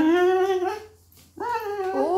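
A hungry Weimaraner puppy whines in two drawn-out, nasal tones separated by a brief pause.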